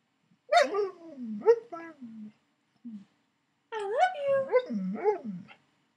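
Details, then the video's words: Koda, an Alaskan Malamute lying in bed with its owner, talks back in looping, yodelling whines that sweep down then up in pitch, two bursts separated by a short pause. "Talking Malamute "i love you""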